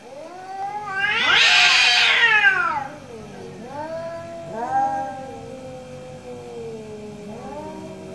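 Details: Two orange cats in a morning exchange of meows: one loud, drawn-out yowl rising and falling, followed by several softer, shorter answering meows from the other cat.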